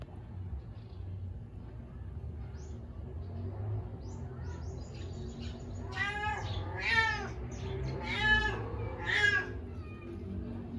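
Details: Persian and Siamese mix cats relaxing at home; a cat gives three drawn-out, wavering meows in close succession over a low steady background hum, with a few faint shorter mews before them.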